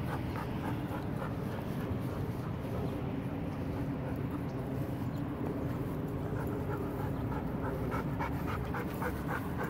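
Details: Pepper, a black Golden Retriever, panting in quick rhythmic breathy puffs that run through the whole stretch over a dense, steady low rumble.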